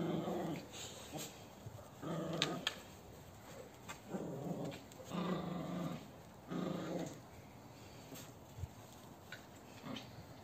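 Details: Cane Corso puppy at play with a Maltese puppy in a playful strength test, giving low rumbling growls in bursts of about half a second to a second, separated by short pauses, with scuffling and a steady background hiss.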